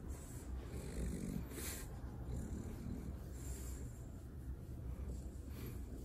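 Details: Relaxed French Bulldog on its back for a belly rub, producing rough snore-like rumbling breaths with a couple of quick airy snorts, steady and quiet throughout.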